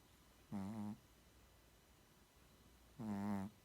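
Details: Pair of deep, buzzy snores from a dozing Shih Tzu, each under half a second, spaced about two and a half seconds apart in a still indoor setting.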